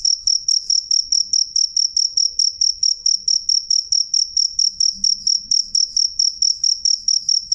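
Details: Crisp, loud cricket song of rapid, regular high chirps, around three per second, each a brief bright pulse with a faint higher echo and little else in the background.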